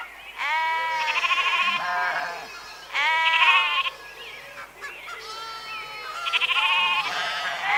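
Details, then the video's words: Bleating sheep giving three strong vibrating baas with a rapid pulsing tremor, each around a second long, with softer bleats in between. "Ovelhas - Som da Ovelha - Ovelha Berrando"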